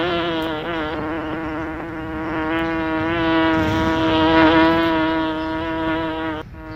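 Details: Close insect hum from a bee, even and droning, rising in loudness midway and fading sharply at the close, its pitch shifting slightly as it flies; otherwise quiet.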